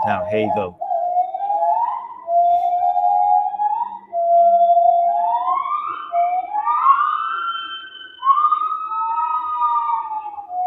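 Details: Played during a talk on Malaysia's small apes, an Agile gibbon great call: long pure whistled notes climbing step by step to higher, rising, swooping tones, with a short burst of speech at the start.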